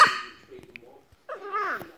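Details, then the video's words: Female Boston terrier 'talking' while chatting with her owner: a short sharp opening yelp, a quiet gap, then a wavering, rising-and-falling whiny moan lasting under a second. "the talking boston terrier girl"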